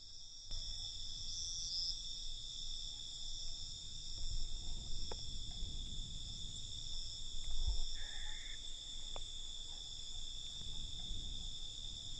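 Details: Crickets calling at night in a constant high buzzing chorus, with a few faint clicks and a brief higher chirp from another insect amid low background noise.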